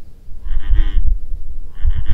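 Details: An American bullfrog at Trustom Pond Wildlife Refuge in May gives deep, low, rumbling croaks in two short bursts about a second apart.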